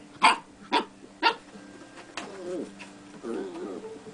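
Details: Young beagle puppy giving three sharp barks about half a second apart, then softer wavering yelps and whimpers, over quiet background music.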